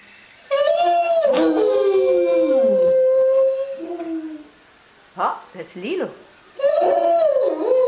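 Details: Two Otterhounds, a 3-year-old male with a soft bay and his 1-year-old half-sister singing soprano, howl together at the top of indoor stairs in November 2013; long sliding howls with rich harmonics, then short yelping notes, while people talk and applaud.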